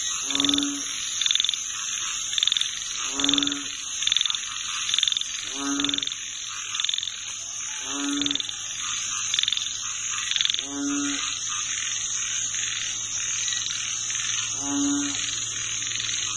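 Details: Frog chorus: low, harmonic croaks repeated roughly every two to three seconds, set against a constant high-pitched shrill buzz of other callers throughout.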